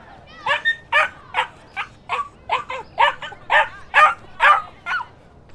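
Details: Dogs and puppies barking: a rapid series of about a dozen sharp, high yapping barks, roughly two per second, rising in loudness toward the end, with no other sounds.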